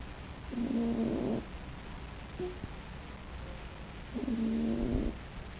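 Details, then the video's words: A sleeping raccoon snoring: two rough, buzzy breaths about a second long, roughly three seconds apart, over steady background hiss. "Raccoon/Waschbär Molly schnarcht / is snoring"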